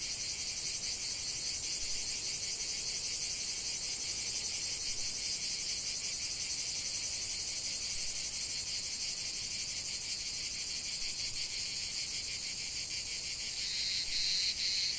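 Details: Cicada chorus over a lavender field, an unbroken high-pitched buzz with rapid pulsing; the sound swells slightly louder near the end.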